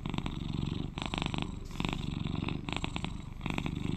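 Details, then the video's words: Eleven-year-old male British Shorthair cat purring up close indoors: a thick low buzzing drone with four distinct grainy breath bursts over a few seconds, short quieter gaps between them. "Sweet Cat Purrs to Lull You to Sleep"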